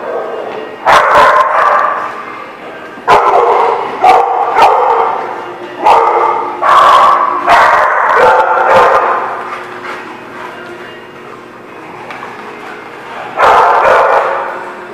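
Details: Dog barking at The Barking Lot, recorded 24 February 2018: loud, harsh barks in irregular bursts, some single and some doubled, spaced roughly one to three seconds apart, with a quieter stretch near the end before a final bark.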